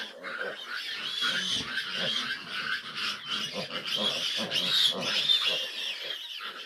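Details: Fifteen grown piglets squeal while their sow has a hard time nursing; continuous shrill squealing mixed with rhythmic low grunts, a busy, unbroken chorus.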